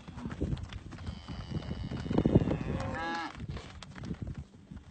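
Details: Nineteen calves to be auctioned on 8 June at a local sale yard in Artigas; one short, rising bawl is heard midway over steady crowd and yard noise with dull knocks.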